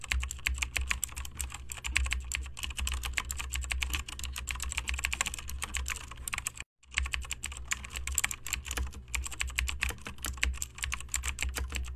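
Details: Rapid clicking of keyboard typing fills the recording over a low hum, broken by one short gap, with no animal sound.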